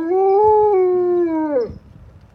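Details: Alaskan Malamute howling with fire trucks, a single loud, even howl held for about one and a half seconds before sliding downward and breaking off.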